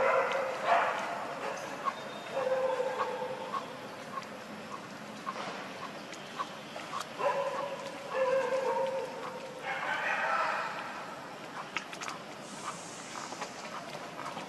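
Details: Hungry baby monkey Leo cries to its mother for milk. Short whining bursts recur every few seconds, some falling in pitch, with quieter pauses of rustling and background hiss between them.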